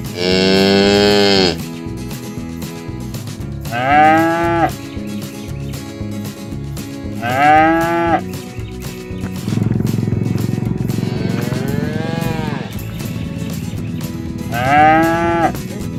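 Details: Free-roaming village cattle calling friends to come home to the barn: five loud moos spread over sixteen seconds, some rich and high-pitched, one rising and falling in a long arc, between stretches of low rumbling background noise.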